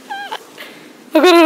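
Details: Cats during mating, giving a brief falling meow-like cry followed by a louder, harsh, strongly harmonic wail that cuts off abruptly, with a quiet pause between.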